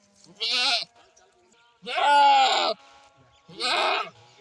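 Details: Goat calling: three bleats in quick succession, a short one, a longer wavering middle bleat, then another short one, with little background noise.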